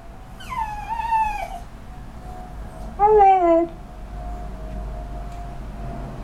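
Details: A 2-year-old male cocker spaniel gives drawn-out, whining yowls ("rao rao rao"), irritated because he wants to go outside and his owner is not ready.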